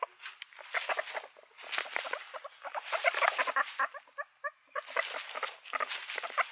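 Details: Guinea pigs chatter in short repeated squeaks, with a run of clearer tonal peeps in the middle spaced about a quarter second apart amid rustling patter.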